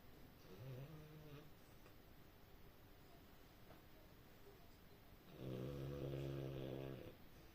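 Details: A sleeping French Bulldog snoring indoors: low rumbling breaths with a harmonic, buzzy tone, one soft snore near the start and a louder, longer snore lasting about a second and a half near the end.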